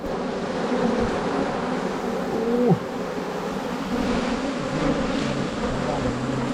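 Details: A colony of wild Asian honey bees buzzes during a 2022 honey-hunting outing. The low steady drone carries layered overtones, a quick falling squeak cuts through midway, and a brief louder stretch follows.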